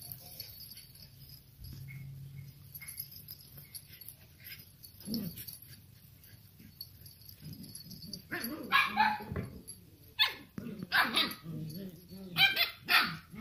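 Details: Two-month-old Samoyed puppies of a litter born 16 May 2018, playing: quiet whines and scuffling at first, then a burst of short, high yips and squeaky barks in rapid bouts over the last five seconds.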